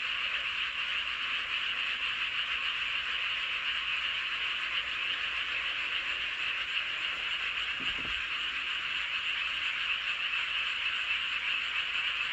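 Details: Frogs chorusing under a full moon in Seowon-myeon, Hoengseong County, Gangwon Province: a dense, unbroken wall of high croaking that blends into a steady hum, with one brief low thump near the eighth second.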